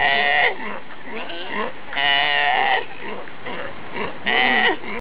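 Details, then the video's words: Wild Galapagos sea lions in a family group in the Galapagos, a colony where fights happen. Three loud, harmonic, bleating calls, each about half a second long, come roughly every two seconds, with quieter grunting calls between them. "Sea Lion Families Making Wierd Sounds in the Galapagos"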